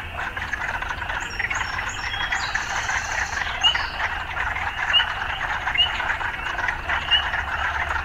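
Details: Frog chorus mixed with urban life sounds, a steady rasping croak texture with a few short high chirps and whistles above, low traffic rumble underneath.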